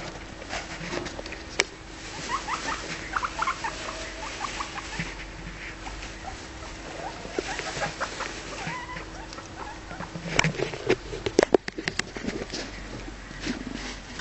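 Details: Pet guinea pigs frolicking, sleeping and nibbling in a heap of hay indoors; brief, soft, high squeaks and short chirps come in scattered groups over steady crackling and rustling of hay, with sharp louder rustles near the end.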